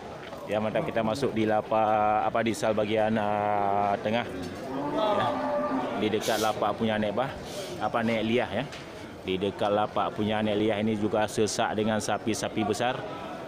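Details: Large local cattle at the Geurugok livestock market on 29 March 2022, the last week before Ramadan: long, low, rich moos, one drawn out for about three seconds and more later, over men talking and market bustle.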